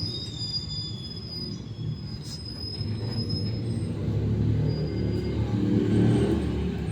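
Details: Squealing, rumbling, train-like mechanical noise that swells toward the end, with faint thin high tones and no animal call.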